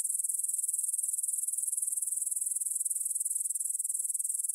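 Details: Grasshoppers in a field by the Svensky monastery, Bryansk, Russia, recorded at 9pm on 6 September 2020 with a Tascam DR-44WL: a steady high-pitched buzzy trill of rapid, evenly pulsed chirps, dense and unbroken.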